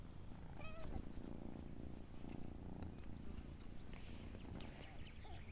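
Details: Cat among two adults and two kittens playing outdoors: one short high meow early on, followed by low rhythmic purring pulses through the middle, under a constant low hum and a thin high whine.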